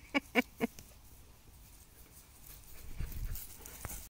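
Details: A 3-month-old black, long-haired Old German Shepherd male puppy gives three quick, high yelps in a row, then falls silent.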